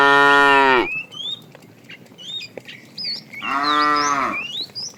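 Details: Tame cattle in a herd starting a long walk to fresh pasture: a loud harmonic moo that ends with a downward fall in the first second, then a second shorter moo near the end, with many chirping birds between the two.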